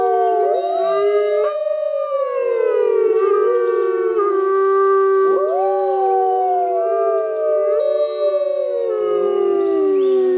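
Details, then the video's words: Six polar wolves howl together, long wavering tones sliding up and down and overlapping in a chorus. "Howling Wolves"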